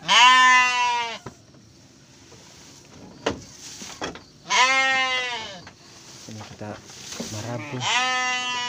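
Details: Garut sheep bleating while a ewe gives birth to triplets: three loud, wavering, harmonic-rich bleats about a second each, spread across the stretch, with a man talking quietly between them.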